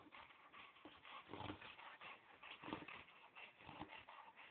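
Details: Chow Chow rolling around on a yoga room floor indoors, claiming the room; soft whimpers and snuffling mixed with dense rustling and rubbing bursts every second or so, steady throughout.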